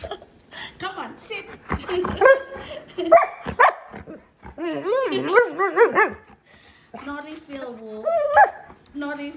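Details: Wulf, a husky malamute pet, vocalizing indoors while chatting with his owner: wavering, howl-like woo sounds with sliding pitch, mixed with a woman's speech and brief sharper yips.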